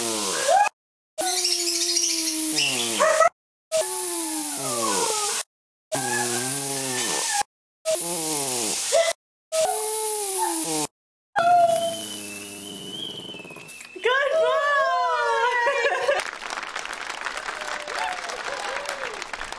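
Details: Buddy, a Boston terrier, "singing" in his funny voice: wavering, bending howls and yodel-like whines in short bursts separated by cuts, then a longer stretch of rising and falling moans fading into hiss.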